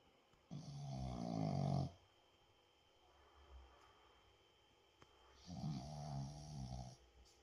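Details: Boston Terrier snoring loudly while sleeping indoors: two long, rough, rattling low snores about five seconds apart, each lasting over a second, with quiet breathing between.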